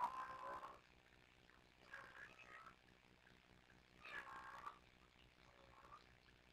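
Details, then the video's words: Two kittens, Sisko and Mila, at the Tiny Kittens Society, chatter to each other in soft rolling trills: a longer burst at the start, then brief murmured chirps around two and four seconds, with quiet room noise between. "Tiny Kittens Sisko & Mila trilling and talking to each other"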